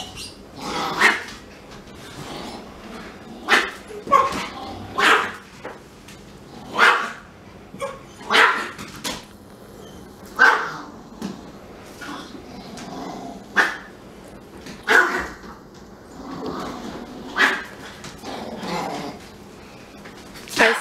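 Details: Siberian Husky crying in the house, not allowed to smell the little Pomeranian; a long run of uneven yelps and whiny barks, bunched and then spread out, with some quieter human speech mixed in.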